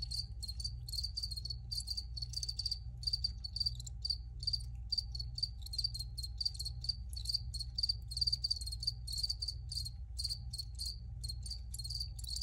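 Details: Crickets chirping in fast, dense runs of high pulsed notes that repeat almost without pause, with a constant low rumble underneath throughout.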